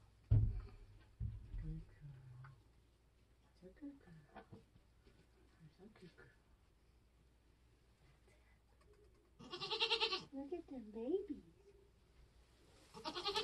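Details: Nigerian goat giving birth on a homestead during kidding season: after low thumps and human talk, loud wavering bleats with rich harmonics break out near the end, one rising and falling, another cut off at the close.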